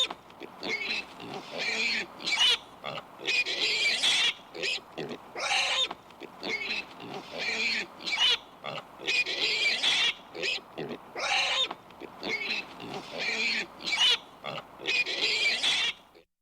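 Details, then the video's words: Repeated shrill pig squeals alternating with gruff grunts and snorts, short harsh bursts arriving about every second, the pattern of calls recurring throughout before a brief silence at the end. "PIG SOUND EFFECT"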